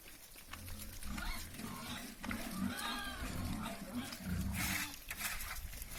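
Piglets grunt and squeal in low, rough bursts, with some human voices in the background.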